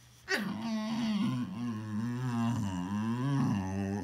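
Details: Boxer dog indoors making a long, loud, moaning vocalization that starts abruptly and runs unbroken, its pitch wavering up and down like a drawn-out groaning howl.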